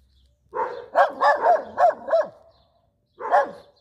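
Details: Schnauzer barking: a quick burst of five sharp, mid-pitched barks in just over a second, a brief pause, then one more bark, with no other sounds behind.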